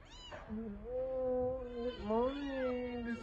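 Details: A rescued kitten cries in the morning: one long, drawn-out wavering wail lasting nearly three seconds, rising and bending in pitch near the end.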